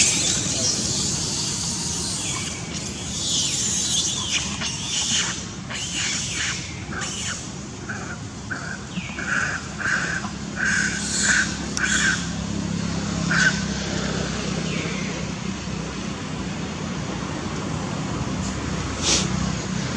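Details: Baby monkey crying very loudly while fighting with its mother: harsh, shrill squeals and screams in uneven bursts, some rising and some broken, amid outdoor rustling and faint background noise.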